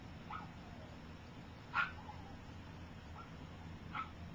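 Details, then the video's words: Three-week-old puppies from Gypsy's litter, some learning to walk while others sleep, let out a handful of short thin squeaks, one louder than the rest, against a constant low rumble. "Gypsy Puppies - 3 Weeks Old"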